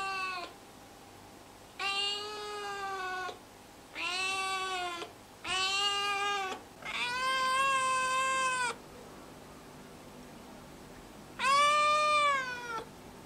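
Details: Four-month-old neutered male Siamese mix cat on its first trial day in a new home, shut in a cage and demanding to be let out; six loud, drawn-out, wavering meows, each one to three seconds long, with short pauses between them.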